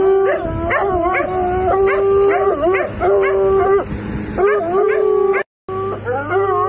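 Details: Bloodhound howling continuously, with a steady, ringing tone overlaid by quick, wavering yelps and rising-and-falling cries, broken by one brief gap near the end.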